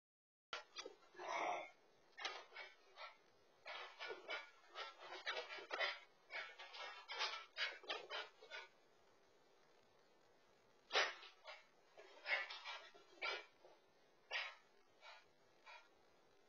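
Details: A Shiba Inu at home, heard through a pet camera, gives a burst of excited, harsh yelps and whines in quick irregular bursts.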